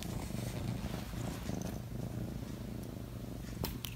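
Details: Domestic cat purring steadily, a low continuous rumble throughout, with a brief faint click near the end.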